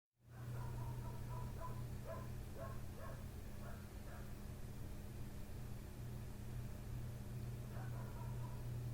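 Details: A neighbour's dog right outside a window barks through the night, from 1:30 am and still going at 3 am; a quick run of sharp, repeated barks early on, then one more burst near the end, over a steady low mechanical hum.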